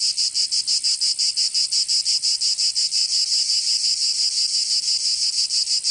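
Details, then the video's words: Cicadas in southern France's Provence during summer, producing a loud sizzling buzz pulsed about three times per second, the pulses blurring toward the end; no other sounds. "Canto Cigarra 🦗 [ Escuchar les cigarras en verano 10 H]"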